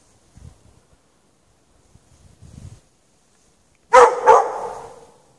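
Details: Dog chained out in the snow without shelter for several hours at night, 8 PM to past 11:30 PM, on 3 March 2014; faint low thuds in a quiet stretch, then a sudden loud pair of harsh, rough barks that fade away.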